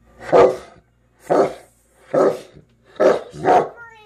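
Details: Kuvasz dog barking after spotting a fox: five deep, hoarse barks, the first four spaced almost a second apart and the last two close together, on a quiet background.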